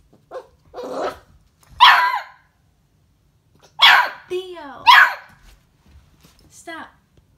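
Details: Beagle puppy reacting to a hamster: a few high, yappy barks in irregular bursts, mixed with short falling whiny tones and a brief growly edge, separated by quiet gaps.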